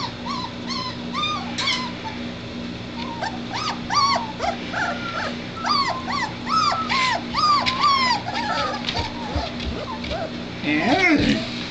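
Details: Three-week-old White Shepherd puppies of one litter whimpering and squeaking: many high, rising and falling yelps in quick overlapping series, several pups calling at once, with a steady low hum behind.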